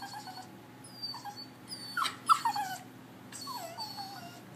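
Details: Bichon Frise crying like a baby around the Fourth of July: a few thin, wavering whines, one sharper yelp-like cry in the middle, then a drawn-out falling whimper.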